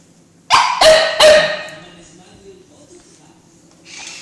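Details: Cocker Spaniel giving three quick, sharp barks in a tight burst. The barks fade and the rest is quiet apart from faint background noise.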